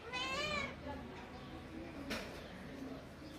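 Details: Playful kitten climbing a tree outdoors gives a short high meow lasting about half a second, harmonics bending slightly downward, followed by quiet background rustling and a brief click.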